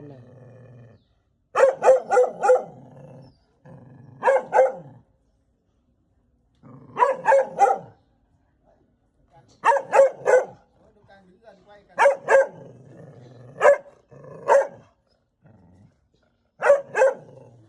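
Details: Indoors, a mother dog angered by a stranger at the house gives repeated volleys of two to four rapid, sharp barks over about eighteen seconds, the barks echoing, with a low hum between bursts.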